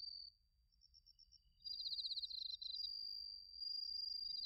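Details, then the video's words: Crickets, including bell crickets, singing in autumn at Narita, Chiba, Japan, on a TASCAM Portacapture X8 recorder: a high, sustained ringing tone overlaps a loud run of rapid pulsed chirps, with faint high ticking from further callers. "秋の音 スズムシとコオロギの鳴き声 - Sounds of autumn, chirping of crickets and crickets"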